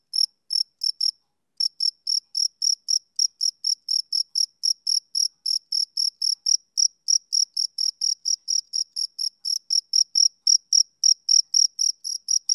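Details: Summer-evening chirps of a male cricket, a long even train of bright, high pulses around four per second, briefly interrupted near the start, with no other sounds.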